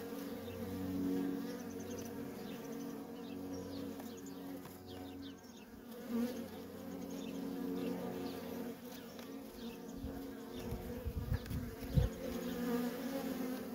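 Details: Nonstop coming and going of worker honey bees at a wild feral colony, a thick steady drone of many wings with individual buzzes wavering in and out and a few louder passes near the end.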